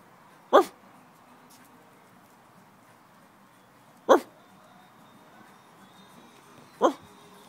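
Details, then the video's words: Patterdale Terrier crossed with Jack Russell Terrier puppies, seven and a half weeks old, playing; three short, sharp yips spaced several seconds apart against a quiet background. "Patterdale x Russell pups 71/2 weeks old"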